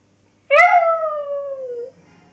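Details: Pet Lhasa Apso singing along to the Coronation Street theme tune, giving a single clear howl of about one and a half seconds. It starts bright and slowly slides down in pitch before fading, in a quiet room.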